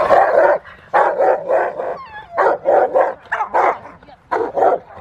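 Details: Rottweiler named Willie v Schwarzerwald playing in the rain with a helper at Victoria Rottweiler Club, December 13, 2020; deep, full barks fired in quick bunches of two or three, with brief pauses between bursts.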